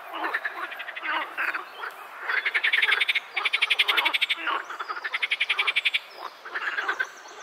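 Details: Pond frogs (Teichfrosch) croak in rapid, rattling bursts, several voices overlapping in a lively chorus.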